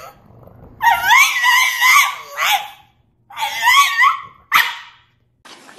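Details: French Bulldog talking indoors: long, wavering, yowling vocal phrases with rising and falling pitch, two sustained bursts separated by a short pause, then a brief sharp yelp and a soft closing sound.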